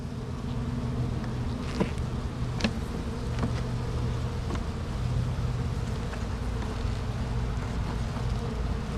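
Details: Bees inside an opened hive during an inspection of a sugar-water feeding frame; a continuous low, thick buzzing hum with a few sharp clicks and taps from frame handling scattered through it.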